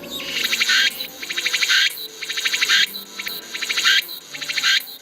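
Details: Cicada from Baegunsan mountain in Gwangyang, South Jeolla, calling loudly to find a mate, played back in a museum exhibit: rhythmic buzzy bursts of rapid pulses, each under a second long, repeating roughly once per second.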